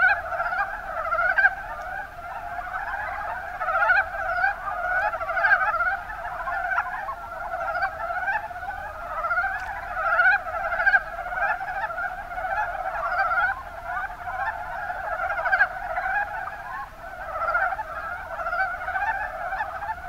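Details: Mountain brown frogs, Rana ornativentris, calling in the Kuma Basin of Kumamoto, Japan: a dense chorus of low, rapid clucking croaks overlapping continuously for twenty seconds, with no other clear sounds.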